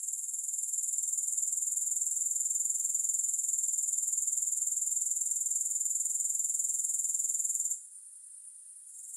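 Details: Continuous thin, high insect trill from grasshoppers, no music added, swelling slightly at the start and holding a rapid even pulse of about four beats a second until it cuts out sharply, leaving faint quieter buzzing.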